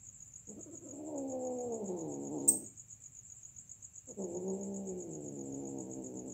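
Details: Two long, slightly falling yowls from cats in the act of mating, separated by a pause of about a second and a half; a sharp click breaks the gap, and a thin high whine persists throughout.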